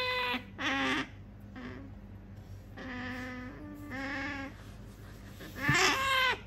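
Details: Pet otter Sakura, a female, whines to get an object her owner keeps holding: short strained squeals separated by gaps, a couple of longer level whines, then a sharp rising squeal that tails off, indoors.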